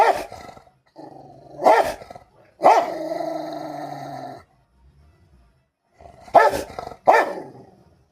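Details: Pet Rottweiler in an indoor fight with another pet: long, droning snarls with strong harmonics, broken by four hard barks, two early and two close together near the end, with a short quiet gap midway.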